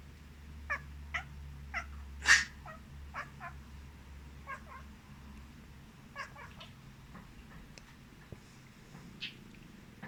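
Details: Domestic cat named Rosie reacting to people sneezing while she sleeps, indoors; a string of short, chirpy meows scattered across the clip, with one sharp, loud burst near the start and a low steady hum underneath.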